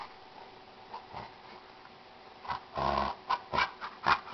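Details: Two dogs at play indoors, a Jack Russell Terrier puppy and her gentle 95-pound Chesapeake Bay Retriever friend; quiet at first, then a rough harmonic growl-whine near the middle, followed by short sharp yips and snorts.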